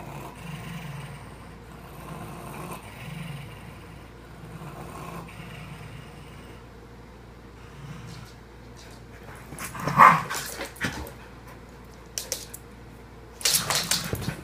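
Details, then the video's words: Two pet dogs growling at each other while not getting along: low rumbling growls pulse through the first three seconds and return around eight to ten seconds, followed by sharp snapping or scuffling bursts near the end. "Dogs growling at each other"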